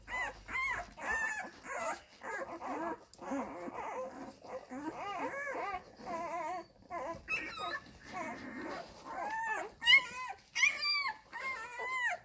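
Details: Several Labrador Retriever puppies of the F litter nurse at their mother Molly, one small one wearing a grey collar; a busy chorus of high, wavering whines and squeaks, rising and falling, overlapping in quick bursts throughout.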